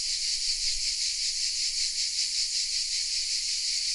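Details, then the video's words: Chorus of cicadas nestled in oaks at Vézénobres, southern France, recorded with a Sony RX10 M3 camera: an unbroken, hissing high-pitched drone with a soft rhythmic pulsing near three beats a second. "The sounds of CICADAS"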